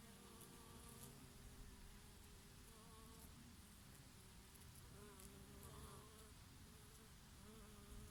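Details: Bees, with the odd bumblebee, feeding on oregano in the summer breeze: several overlapping hums wobble in pitch as insects come and go, set against a broad hiss of wind through the plants.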